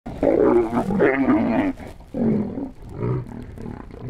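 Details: White lions roar and snarl while fighting, with harsh, rasping bursts broken by short pauses.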